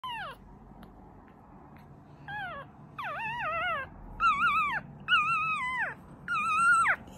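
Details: A one-day-old male Yorkshire Terrier puppy gives thin, high squeals that rise and then slide down, repeated about once a second.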